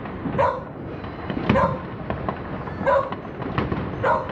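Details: Bella, a Border Collie, barks at fireworks over Rzeszów on New Year 2023; four spaced, clipped barks with bright harmonics stand out against continuous low firework crackle and booms.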